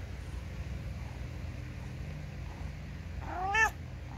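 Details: Ginger house cat, possibly complaining, gives a single loud, short meow that rises and falls near the end, after several seconds of quiet low hum.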